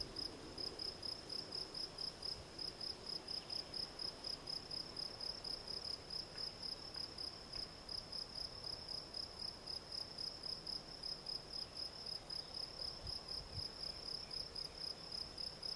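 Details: Field cricket, Gryllus campestris, singing loudly and clearly: bright, piercing chirps repeated at a fast, steady pace of about three to four per second, with little other sound.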